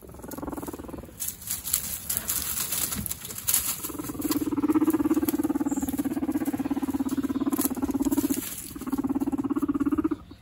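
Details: Two guinea pig brothers fighting for dominance, kept in a large group of guinea pigs. They make low, fast-pulsed rumbling bursts lasting several seconds with short gaps, over scuffling and pattering noises.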